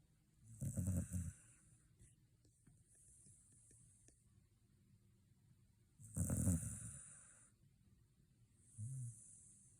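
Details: After a visit to the dog run, a sleeping Shiba Inu snores. Deep rumbling snorts with a hissing edge arrive roughly every five seconds, with a quieter snuffle near the end and faint breathing between.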